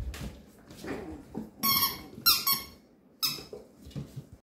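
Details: Male Papillon puppy, thirteen days old, squeaking indoors: a few high, reedy squeals in quick succession, then one more after a short pause, with soft rustling and handling noises around them.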